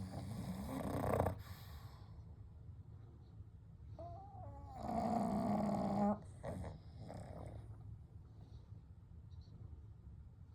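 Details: Gentle snoring and breathing of three sleeping pugs, Kou, Gen and Shun: a short rasp, then a thin whistling squeak leading into a longer rattling snore, followed by soft, quiet breaths.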